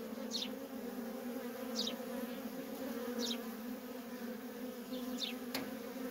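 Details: Worker honey bees in steady nonstop traffic at a feral colony: a dense, continuous low droning hum, with a thin, high, falling chirp repeating roughly every one and a half seconds above it and a brief click near the end.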